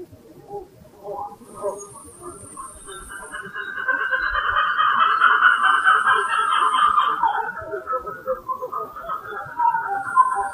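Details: Black-fronted titi monkey troop calling heavily in January 2018 in the Serra da Mantiqueira, Pindamonhangaba, São Paulo, as two individuals watch the observer curiously. Warbling, pulsing calls build into a loud chorus, then ease off, with high insect buzzing in bursts.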